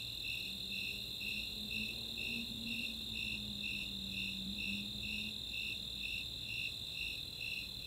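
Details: Snowy Tree Crickets and Four-spotted Tree Crickets in a summer nighttime chorus at Chautauqua open space, Boulder, Colorado: steady high pulsed chirps about twice a second over a continuous higher trill, with a faint low drone beneath.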